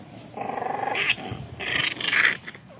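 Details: Seven-week-old English Bulldog puppies playing outside in grass for the first time; a sustained whiny growl for about half a second, then brief higher yelping bursts near the end.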